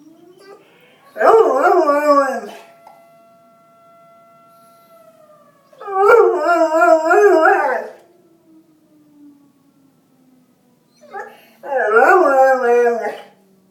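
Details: Bernese Mountain Dog reacting to a fire alarm with three bursts of wavering, yodelling howls, each one to two seconds long and spaced several seconds apart. A steady electronic alarm tone sounds between the first two bursts.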